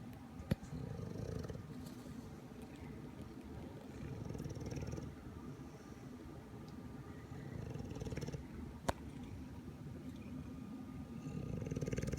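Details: An English Bulldog sleeping in an awkward-looking position for about 45 minutes, with a dry nose, snores steadily: low rumbling breaths, roughly four pulses a second, in long continuous stretches with a few faint clicks.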